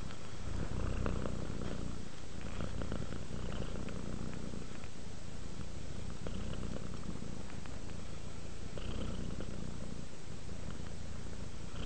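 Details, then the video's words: Sleepy domestic cat Rudolph giving a long, even purr: a soft low rumble that swells and fades with each breath, steady and unbroken for the whole stretch. "Sleep while Purring Cat Relaxes"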